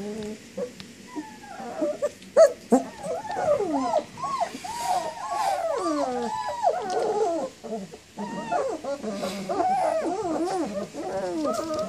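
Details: Young German Shepherd pups, 19 days old, whine for their mother with long sliding, howl-like cries and wavering whimpers overlapping, growing busier toward the end.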